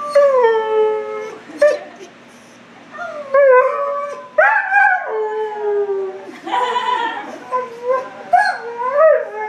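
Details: Howling husky at a Petco grooming salon, giving drawn-out, bending howls mixed with short yelps and whimpering rises, the notes restarting every second or two after brief breaks, faint clatter of the salon in between.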